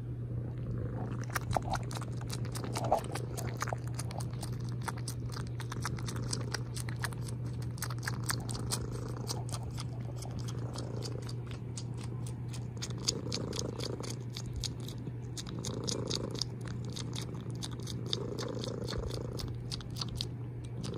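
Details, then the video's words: Cat purring with a steady low drone while sharp clicking, kissing or chewing sounds repeat rapidly over it, with breathy swells every couple of seconds. "Loud Purrs"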